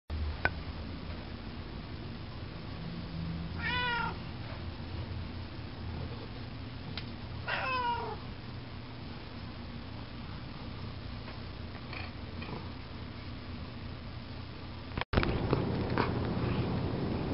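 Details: House cat indoors while eating wet cat food; two short, curving harmonic meows about four seconds apart over a steady low hum, then faint clicks and a burst of louder rustling near the end.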